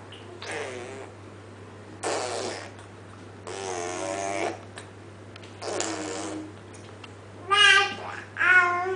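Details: Two indoor Munchkin cats, Max and Audrey, talking back and forth: six drawn-out, wavering harmonic meows and chirps in bursts over nine seconds, the last two louder and higher, with a steady low hum behind.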